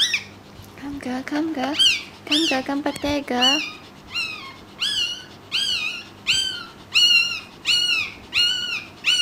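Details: High squeals from a newborn Pekingese puppy as the mother strains to deliver the second pup, opening with low voiced sounds and rapid clicks, then settling into evenly spaced arched squeaks about once a second.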